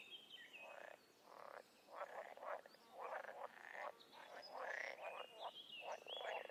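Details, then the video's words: Wild frogs and toads calling together in a dense chorus: overlapping pulsed croaks, each burst lasting roughly half a second, with brief pauses between, plus thin high trills above. "Toads & Frogs in the wild"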